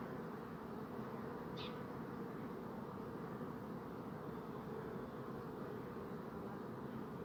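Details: A constant deep buzz of numerous bees, broken once early on by a brief high chirp.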